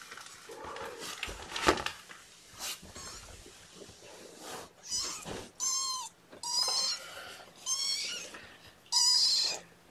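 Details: Several kittens at a morning formula feeding, a man handling them with a syringe; a run of high, harmonic mews, each about half a second, come one after another in the second half, with earlier rustling and bumps.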